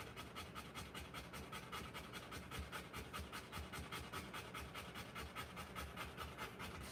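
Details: A Rottweiler whelping puppies pants hard and fast, about two and a half breathy strokes per second in an even, unbroken rhythm.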